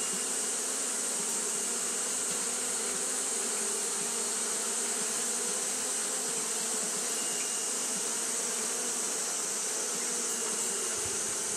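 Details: Steady collective buzz of Japanese honey bees, fanning all along because the day was hot; an unbroken low hum with stacked overtones and a strong, even high hiss above, no pauses.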